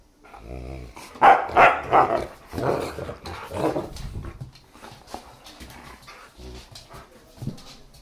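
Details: During play over a new chewy toy, a German Shepherd and a Siberian Husky puppy let out a cluster of loud growling barks early on, then softer scattered grumbles and a final sharp bark.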